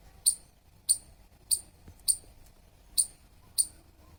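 A squirrel gives sharp, high-pitched chirps, repeated about every half second over a quiet background.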